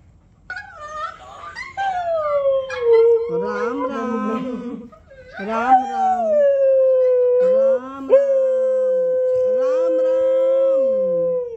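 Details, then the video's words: Siberian Husky coaxed by its owner to "say" Radhe Radhe: long, drawn-out, talking howls, sliding down then holding a steady note, broken into several vocal phrases, with a person chanting "Radhe" in Hindi. "Oreo is saying Radhe Radhe"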